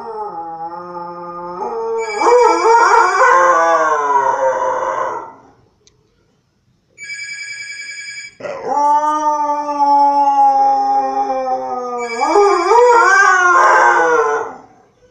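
A Siberian Husky howls and yodels in long, wavering, rising and falling notes while a phone rings.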